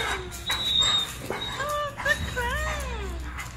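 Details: German Shepherd squealing in high, wavering whines, several slurred notes that rise and fall in quick succession over about two seconds, with human voices talking in the background.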